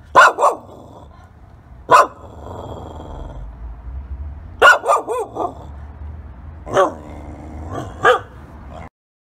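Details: Shiba Inu dog reacting strongly, giving sharp loud barks in irregular bursts, single and doubled, roughly every one to two seconds, with a low background rumble between barks.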